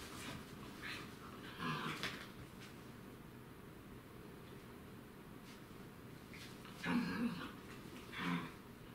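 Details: A dachshund waiting patiently for its canine playmate to wake up gives a few short, muffled whining yelps, spaced apart in a quiet room.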